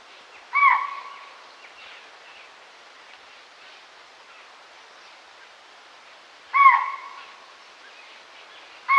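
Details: Chital (Axis axis), alarm call: warning of danger.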